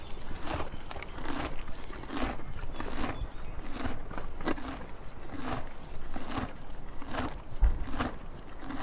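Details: Donkey eating, with steady rhythmic crunching, one bite roughly every two-thirds of a second, each a short gritty burst, and a faint low rumble behind.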